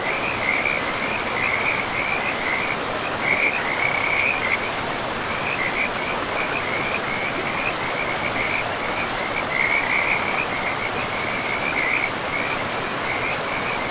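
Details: Frogs calling by a river in a pristine forest with moss-covered ground: an almost unbroken, shrill, pulsing trill that swells and fades in waves, set against the steady roar of flowing water.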